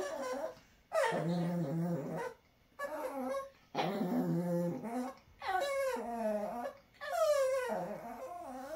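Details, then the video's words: Pet Chihuahua named Dixie talking in a small room: five whimpering, moaning bursts about a second long, some with low grumbling undertones, the last ones wavering and rising in pitch, with brief silences between. "Dixie Chihuahua talking."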